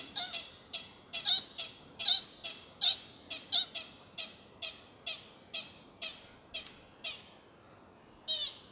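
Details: At sunset at the Carpenter Mountain fire lookout in H.J. Andrews Forest, Oregon, USA, an American pika gives a series of short, sharp, high-pitched squeaks, irregularly repeated more than once a second.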